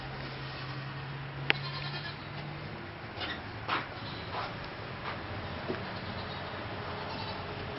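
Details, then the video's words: Domestic goats, excited about their new collars, give a short bleat near the middle amid clicking and knocking, with a low steady hum through the first half. "THE GOATS LOVE THEIR NEW COLLARS, LISTEN TO THERE GOAT SOUNDS...."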